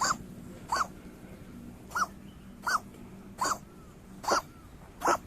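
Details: Stray community cat coughing suddenly while being stroked on its rump, the fit stopping within seconds; seven short harsh hacking bursts spaced about every 0.7 seconds, each carrying a brief arched tonal edge, over a low steady hum.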